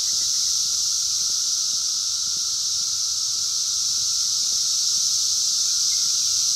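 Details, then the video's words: A wild 2021 chorus of 17-year Brood X periodical cicadas, recorded by phone: an unbroken shrill hiss and a sustained lower drone fill the air. One faint chirp is heard near the end. "sounds of 17 Year Brood X Cicadas 2021 in the wild"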